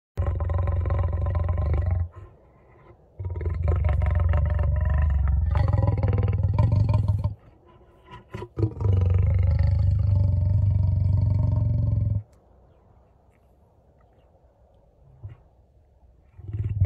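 A lion gives long, deep rumbling purrs in several drawn-out bouts separated by short pauses.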